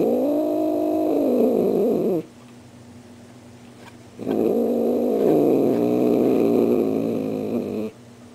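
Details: Star the pet cat voicing a Halloween greeting for visitors: a sustained yowl that wavers and bends downward at its end, a pause of about two seconds, then a second long, steady yowl of nearly four seconds.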